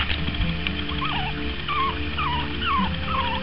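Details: Long Coat Chihuahua puppies named Bounty and Milo, four weeks old, learning to walk, give thin wavering whines that dip and wobble, several in quick succession over steady low background music.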